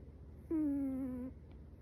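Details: Chihuahua puppy named Metaru, asleep, giving one soft nasal snore: a thin whistled tone under a second long that dips slightly and then holds steady, in a quiet room.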